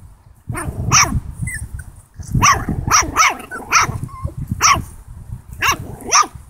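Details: Seven-week-old Italian Greyhound puppy confronting a pig, giving high, thin yelping barks, singly and in quick pairs, roughly every half second to second, over steady low rumbling and rustling noise.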